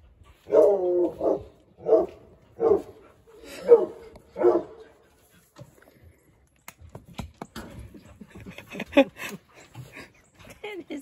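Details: Five loud, evenly spaced barks, roughly one per second, from Eeyore, a huge 85-pound six-month-old Treeing Walker Coonhound puppy settling into a new house indoors; people start talking afterwards amid small clatters.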